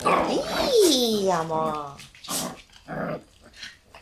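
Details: Black Shiba Inu puppy in an indoor puppy room with March-born littermates: a high whining yelp sliding downward, followed by softer short grunting sounds and some faint voices.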